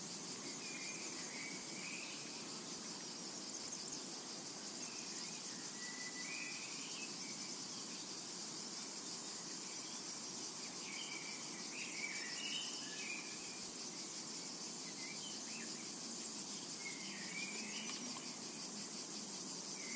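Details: Cicadas in a summer meadow keep up a continuous thin, sizzling drone, with faint pulsing in the highest part and soft intermittent bird chirps underneath.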